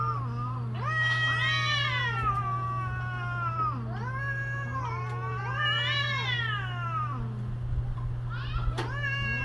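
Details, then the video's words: Mating-season caterwauling from cats: two very long, drawn-out moaning howls that swell and waver in pitch, each ending in a short low growl-like note, with a brief sharp click near the end and a steady background hum. "creepy Cats Talking"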